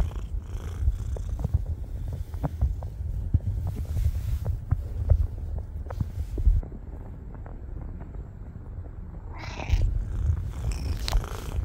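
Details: Friendly stray cat purring steadily in low rumbling pulses for about ten seconds, with a brief rustle or short higher sound near the end.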